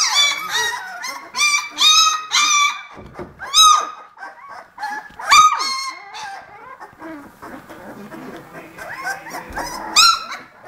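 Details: Eighteen-day-old Vizsla puppies make scattered high-pitched squeals and whines in bursts, some sharp and rising, others drawn out and falling, separated by short quiet gaps and softer squeaks.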